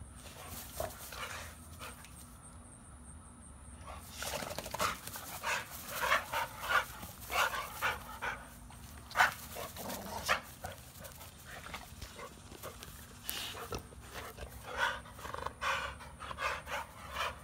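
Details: Pitbull and American Bully dogs, Beats and Maxx, heard panting: quick breathy huffs that start after a quiet opening and run irregularly through the second half, over a faint steady background hum.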